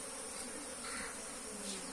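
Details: Honey bees nesting inside a tank in a house, flying in and out; a dense, steady, broadband buzzing hum fills the whole stretch without pauses.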